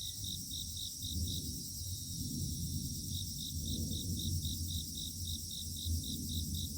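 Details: Grass insects singing together at dawn in foggy mountain countryside: rapid, evenly pulsed high chirps about five per second, pausing for nearly two seconds midway, layered over a steady shimmering high drone and a low background rumble.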